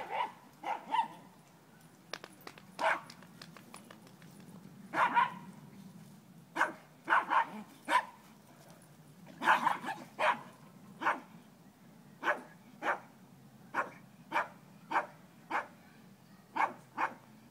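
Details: A four-month-old Dobermann-Pinscher puppy, Dobi, playing with another dog: sharp high barks and yips come in bursts, some doubled, then settle into single barks spaced roughly every half second, over a low rumbling background.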